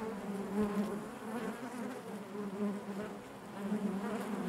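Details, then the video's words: Quiet, even buzzing of many honey bees within the hive, a low continuous hum with faint wavering harmonics and gentle swells. "bees therapy hive natural buzzing sound"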